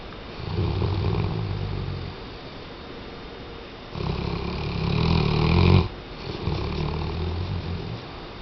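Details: Tchesco, a Weimaraner, snores in deep, rumbling breaths, each lasting a second or two.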